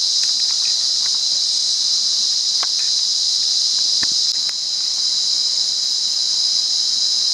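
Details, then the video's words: Cicada chorus recorded in the wild at Monaragala, Sri Lanka: a constant, intense high-pitched buzz that never pauses, overlaid by several brief sharp clicks and taps, with one slight dip in loudness midway. "Amazing Cicada Life Cycle | Wild Sri Lanka | Listen To The Nature"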